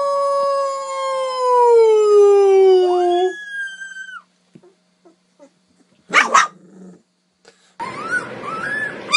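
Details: Puppy howling: a long, clean, falling tone that bends upward at the end, then near silence with faint clicks, a brief noisy burst, and short arched yips over background noise.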